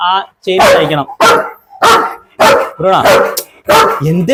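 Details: German Shepherd from Perumbavoor, Kerala, barking in loud, harsh bursts roughly every half second to second, with human voices mixed in between the barks.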